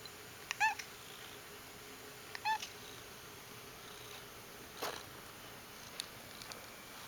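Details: Pet cat making silly noises indoors: two brief, clipped chirps about two seconds apart, each a quick upturned note with overtones, then soft clicks and faint background hiss.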